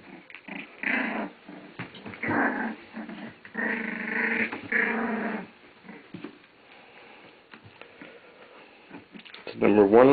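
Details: Puppies from Cait's litter playing on day 17, April 5, 2008; bursts of harsh growling and play noises, a man narrating over them, and a high whimper rising at the end.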